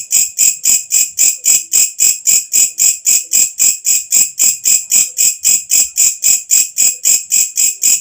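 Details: Katydid (walang kecek) calling at night: loud, shrill buzzing pulses repeated steadily about four times per second, high-pitched and even throughout, with no other clear sounds.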